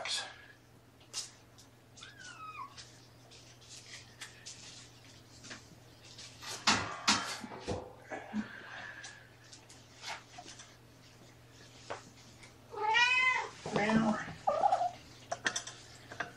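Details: Kittens from a four-kitten litter (three boys, one girl) of rescued mother cat Seraphina at Purrfect Pals, Washington, indoors on the afternoon of 2018-11-28: a clear, harmonic, wavering meow near the end, an earlier short falling squeak, with human talk and handling clicks throughout.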